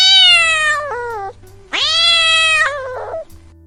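A domestic cat gives two drawn-out, high, harsh yowling snarls, a sign of fear, anger or territorial threat.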